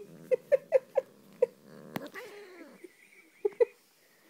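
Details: Angry female house cat that hates kisses, indoors: a low sustained growl under a string of sharp, clipped grunting mews about every quarter second, a brief break with a click, then two more grunts.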